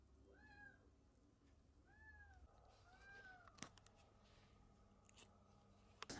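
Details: Abandoned kitten that survived two days in -11°C snow, now rescued and receiving medicine from the vet. Three drawn-out, arching meows about a second apart, followed by sharp knocks and clicks.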